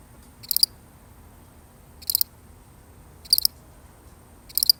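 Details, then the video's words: Lone cricket in a genuine recording, chirping four times: crisp high-pitched bursts of several fast pulses, separated by gaps of roughly a second or more, with only quiet background noise between. "The sound of one lonely cricket"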